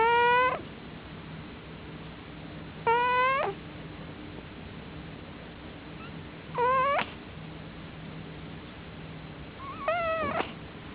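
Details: A male cat asleep in the dark, snoring loudly: four short, whistly, rising squeaks, one on each breath, roughly every three and a half seconds, over a faint steady hum.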